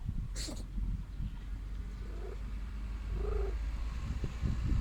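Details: Sickly stray female cat wanting affection; a faint low purr rumbles beneath a sneeze-like burst at the start and two short tonal sounds later on.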